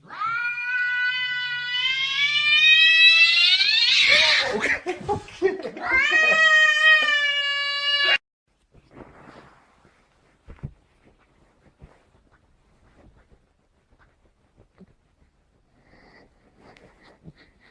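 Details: Angry cat's drawn-out caterwaul, a sustained wail climbing steadily in pitch over several seconds, breaking briefly, then a second long howl. About eight seconds of sound give way to near silence with faint scattered clicks.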